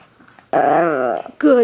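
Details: Pet Chihuahua inside a small room, praised as a good boy, giving a sustained, wavering groan that dips and rises like mimicked speech, followed by a brief higher yelp-like moan. Quiet room background.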